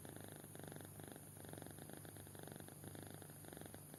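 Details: Kitten fast asleep, snoring softly with repeated short raspy pulses in quick bursts, an even low rumble carrying through all four seconds over a faint steady hum.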